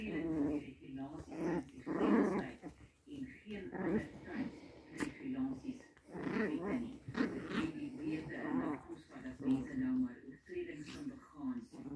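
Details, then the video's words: Playful Pomeranian puppies growl and grumble in continuous rough-and-tumble bouts, with brief whines mixed in and human voices talking over them. "Pomeranians Toypoms 🐶 puppies playing"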